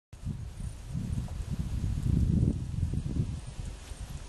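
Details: A koala (Phascolarctos cinereus) on Magnetic Island gives deep, rumbling grunts, a rough low snoring sound that swells in the middle.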